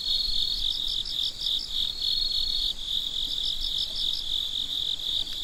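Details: Night crickets in full chorus, a shrill unbroken trill overlaid by bursts of five or six rapid pulses, a second run of pulses following after a short pause; low background hum.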